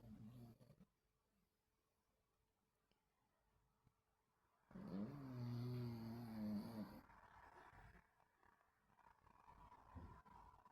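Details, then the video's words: Dogs asleep and dreaming, recorded 26.8.24: after a brief low grumble, a long quiet stretch, then one sustained, wavering, harmonic moan-growl lasting about two seconds, followed by soft breathing noises. "Snoring and dreaming dogs"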